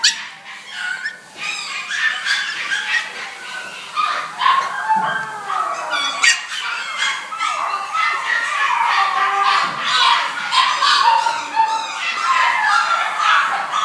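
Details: Maltese dogs at a kennel, recorded 29 August 2012: dense, overlapping high-pitched yips, whines and short barks run continuously and loudly for the whole stretch, with no quiet gaps.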